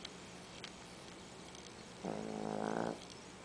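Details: Small female dog weighing 13 pounds snores loudly indoors. One rough, rattling snore lasts nearly a second after a quiet stretch of faint background hiss.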